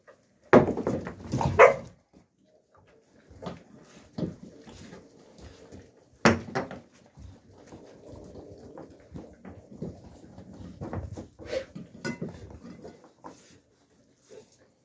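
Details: Central Asian Shepherd Dog (Alabai) puppies, young, in winter 2023: two loud bark bursts near the start, another sharp yelp at six seconds, then irregular softer yips and rustling noises, with scattered clicks throughout.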